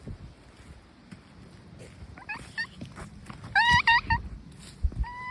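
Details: Stray brown tabby cat outdoors giving a few harmonic meows: faint calls near the middle, then a louder run of short rising-falling meows and one final call, over low rumbling background noise.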